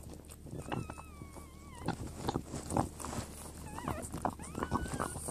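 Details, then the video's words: French Bulldog named Zhena during a natural birth with newborn puppies; thin whining whimpers with wavering, falling tones around two seconds in and a rising whine near the end, over rustling and a woman's soft voice. "French Bulldog Zhena Gives Birth -part 2"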